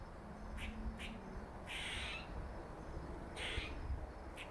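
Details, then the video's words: Funny noises from a squirrel: short raspy clicks mixed with two longer, hoarse, buzzy bursts, heard over a faint low hum and background rumble. "Squirrel makes funny noises"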